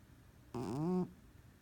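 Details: A sleeping domestic cat snores loudly while dreaming: a single half-second tonal breath sound with a clear buzzing fundamental that glides gently downward, over quiet room background.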